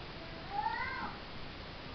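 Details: Kitten giving a single thin rising-then-falling meow lasting about half a second, over steady background hiss.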